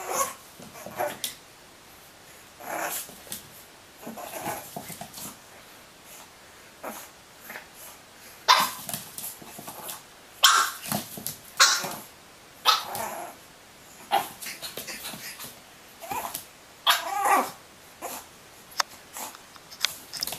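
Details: Pug puppy in a small indoor room, licking a mirror, with a long run of high yapping barks and growly yips coming in uneven clusters, some very loud, mixed with room clatter.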